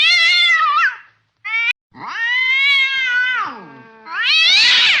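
An angry domestic cat gives loud, drawn-out, wavering meows that sag in pitch at the end.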